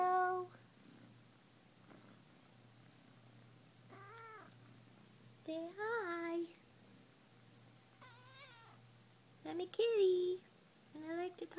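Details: Munchkin cat lounging at home, talking a little: short rising-falling meows scattered through, several in a cluster near the end, while a woman coaxes her to say hello; faint background music.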